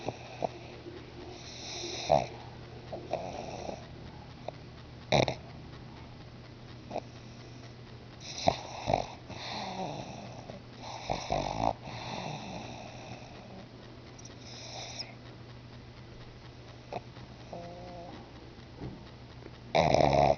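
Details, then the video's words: Pet pug named Bruno, asleep indoors, snoring: soft wheezy breaths with scattered snorts and faint intermittent hisses, uneven rhythm, a steady low hum running underneath throughout. "MY FUNNY PUG BRUNO SNORING"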